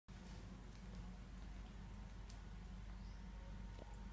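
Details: A Korat cat gives a long, low, throaty growl that rumbles steadily like an idling motorcycle engine, warning a stray cat creeping through the garden.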